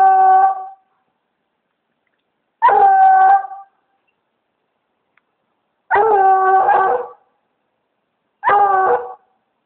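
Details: Redbone Coonhound treeing a raccoon up a palm tree, giving four long drawn-out harmonic bays, each roughly a second long and spaced about three seconds apart, with silence between them.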